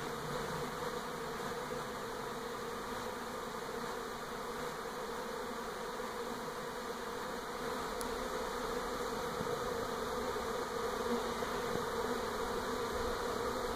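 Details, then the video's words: Honey bee swarm at a home in NE Portland, 2018, on the move from old hive to new: a constant, wavering mass of buzzing that swells slightly toward the end. "Honey Bee Swarm in NE Portland 2018"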